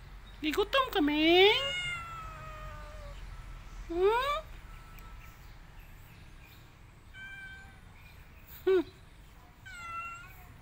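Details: Domestic cat giving a series of meows: a long falling cry first, then shorter rising-and-falling mews spaced a few seconds apart, with quiet room background and some human voice.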